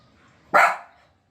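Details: A pet puppy, possibly a Pomeranian, gives one loud, sharp bark, an abrupt harsh burst fading within half a second against a quiet background.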